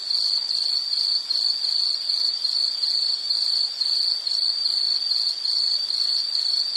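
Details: High, steady insect chirring made of fast regular pulses, continuous and unchanging in pitch, set for calm background listening with only light hiss behind it.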